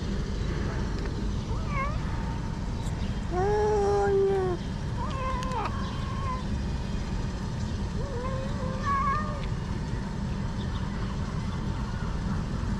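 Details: Several hungry cats, among six gathered in a garden in Morocco and cared for as abandoned strays, give overlapping meows, some drawn-out and falling, others short and rising, over a steady low rumble of traffic.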